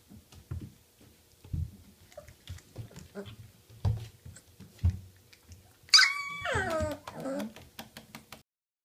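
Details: Three-week-old Alaskan Malamute puppies make lots of noise, giving a sudden high, falling squeal after a stretch of soft bumps and shuffling.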